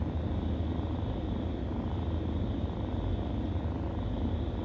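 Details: Nursing kittens give an unbroken, deep, rumbling purr, even in loudness from start to end, with no other clear sounds.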